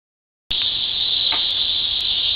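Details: Cicadas: silence for half a second, then a sudden loud, steady, high-pitched buzz that holds without a break, with a few faint sharp clicks on top.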